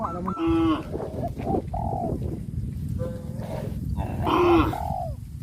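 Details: Cows on a traditional village farm, led to the rice fields after the harvest, give two loud, harmonic moos about four seconds apart, short and slightly falling. Between them come softer bird notes and steady rural background noise.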